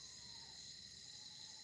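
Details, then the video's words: Crickets outdoors at night on September 17, 2024, under the harvest supermoon; a faint, steady high-pitched trilling continues without break behind quiet background hiss. "All you hear is crickets."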